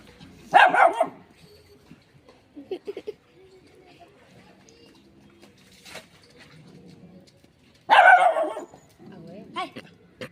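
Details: A little dog barks in two sharp, loud bursts separated by several seconds, with a shy cat nearby; quiet Marathi speech and faint household sounds fill the gap between barks.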